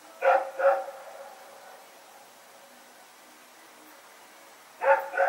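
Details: Dog Rex and a companion running and barking in the night, recorded on 21 September 2018: a double bark at the start, silence, then another pair of barks near the end.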